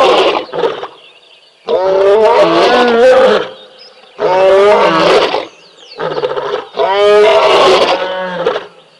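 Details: At a waterhole at Tembe, the big male of a lion pride roars as sub-adults play nearby. Four or five loud, harsh, rumbling roars come in quick succession, each a second or two long, with short quiet gaps between them.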